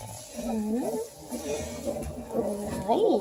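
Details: Litter of two-week-old Redbone Coonhound puppies in Ontario, Canada, one wriggling as it is handled: drawn-out rising and falling whines and yelps, several overlapping, over a faint background hum.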